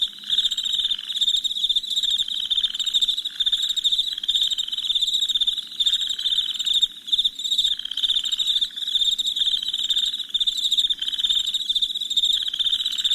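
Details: Chirping crickets after dark form a rapid, shrill, throbbing trill from many insects at once. The intensity wavers, and a quiet low hum is heard at the start.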